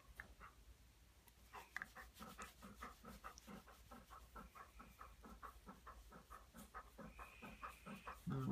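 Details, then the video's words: Golden Retriever panting: quick, regular breathy pulses, about two or three per second, steady throughout with a faint hum underneath. "Panting Golden Retriever"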